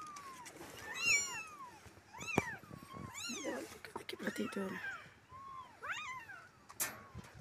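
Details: Stray kittens, part of a group of four being rescued and cleaned, give high rising-and-falling meows in quick succession, several overlapping, with a low human voice murmuring underneath.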